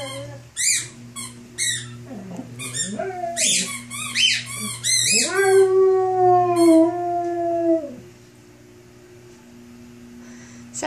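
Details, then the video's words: Rhodesian Ridgeback howling indoors: a run of sharp, high squeaky yelps over the first five seconds, then one long smooth howl, held steady for about three seconds before dropping away, leaving a faint room hum. "Ridgeback howl"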